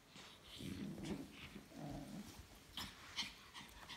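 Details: Dog in a new carrier making low rumbling growls and whimpering noises in two bursts, with sniffs and scratchy rustling in between.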